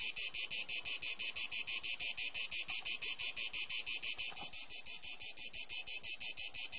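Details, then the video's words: A Cicada orni cicada sings a loud, high, buzzy song pulsing about four times a second; each click is followed by a train of vibrations near 4.3 kHz, with a 240 Hz modulation. "Cicala che frinisce - Chirping Cicada"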